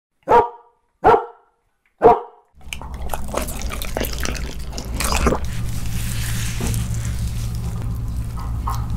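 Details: A Siberian husky eating grilled eel gives three short barks, then chews noisily with wet, crackling bites under a low hum, while other dogs outside cry for some.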